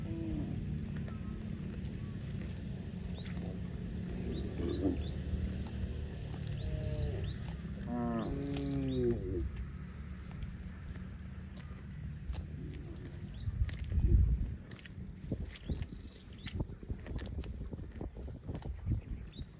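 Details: Cow mooing outdoors: a low, drawn-out moo with stacked harmonics around the middle of the recording, wavering in pitch, over steady low rumbling background noise and scattered clicks.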